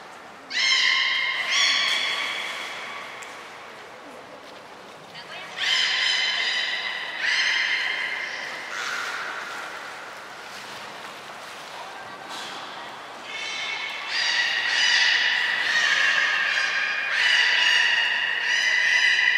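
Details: Captive belugas Hodoi, Taanya and Mirai, Port of Nagoya Public Aquarium, 23 February 2021, pool move and training: a long run of clear, stacked harmonic calls in bursts, some brief and clipped, others drawn out, crowding together toward the end.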